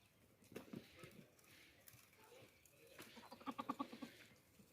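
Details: Young goats playing together; after scattered soft thumps and rustling, one short quavering bleat with a rapid pulsing tremolo rises near the end, fairly quiet against a background of shuffling noise.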